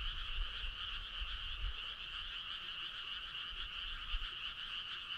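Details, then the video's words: Frog chorus on a summer night, clear and prominent: numerous overlapping trilled croaks form a steady, bright, pulsing wall of sound with only light background rumble. "Cool frog sound"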